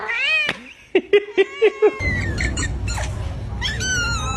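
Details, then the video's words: House cat in a comedy compilation of odd cat sounds: a wavering meow, then five short sharp chirp-like squeaks in quick succession, then more rising and falling meows over steady low background noise. "Funny Cat Sounds"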